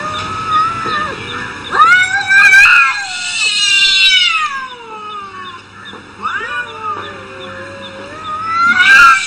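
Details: Cats arguing trade long, wavering yowls that rise and fall in pitch, overlapping and stretching for seconds at a time, with a harsh screech breaking out near the end.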